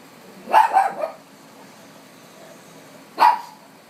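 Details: Pet dog barking at dogs on TV, a quick cluster of three barks then, after a pause of about two seconds, one more sharp bark.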